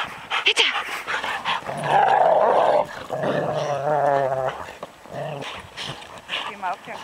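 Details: Rottweilers at play, giving loud rough growls with wavering grumbling tones in the middle, mixed with human speech and clapping.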